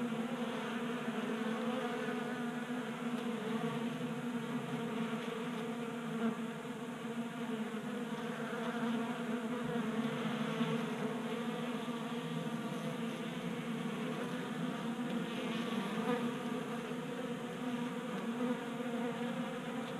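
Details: Numerous honey bees feeding from a 3D-printed table-top feeder in a garage in Colorado, January, unusually warm; a constant, rich humming buzz of wings, gently rising and falling in intensity over the whole stretch.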